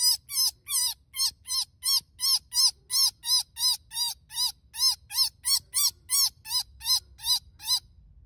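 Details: Screaming baby bunny being rescued, giving an unbroken series of piercing, harmonic shrieks, roughly three each second, each arching up and then falling, steady and insistent against faint low background noise.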